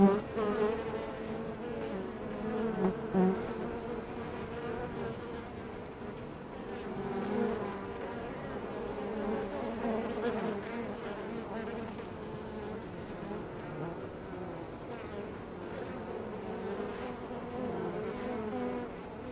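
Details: Steady swarm hum from honey bees coming and going at a hive entrance. Several low, humming tones overlap throughout, with a loud close pass at the very start and smaller swells every few seconds.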